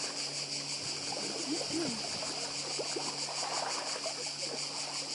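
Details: Cicadas on Badija island, Croatia: a shrill, steady, pulsing high-pitched drone fills the air without pause, over a constant wash of sea noise and faint scattered lower chirps and squeaks.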